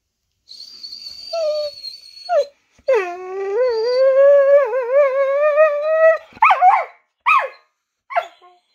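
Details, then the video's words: Female Australian Cattle Dog (Blue Heeler), indoors and excited about going outside for a walk and playing with her Kong toy: a thin high whine, then a long wavering, yodelling howl with bending pitch, ending in a few short yips. "Vocal Blue Heeler"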